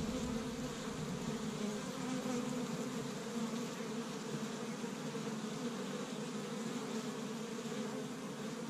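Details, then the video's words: Springtime honey bees working an established hive in Michigan on the first warm day, foraging pollen from tree buds while few flowers bloom. Thick, constant buzzing chorus with a low droning core, steady without pauses. "See Busy Honey Bees Active in the Spring"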